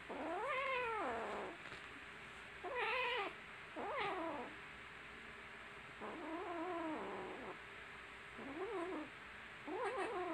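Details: Little kittens playing and fighting with each other, giving a string of six loud, arched meows, each rising then falling, some drawn out and others short, spaced about every one to two seconds over a low background hiss.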